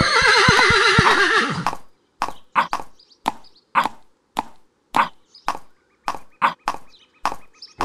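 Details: A horse gives a loud, quavering whinny lasting almost two seconds, wavering up and down, then steady hoofbeats clop along at a walk for the rest of the recording.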